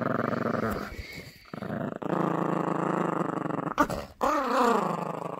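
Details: Yorkie puppy Gracie in a tug-of-war game over a squeaky toy, growling almost continuously in a low, rasping rumble, broken once by a brief gap, ending in a wavering, rising-and-falling growl.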